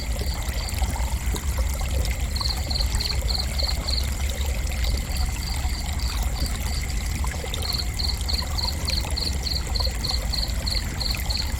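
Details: Cricket chirping in gentle, high, pulsed bursts, each a quick string of short even beeps, repeating in trains, over a steady rushing, trickling water background and a constant low rumble.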